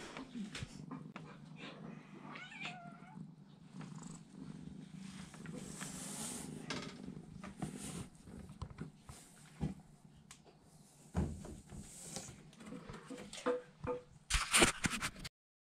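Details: A British Shorthair kitten about 2½ weeks old, taking its first wobbly steps, purrs steadily with a few thin mews and soft rustling.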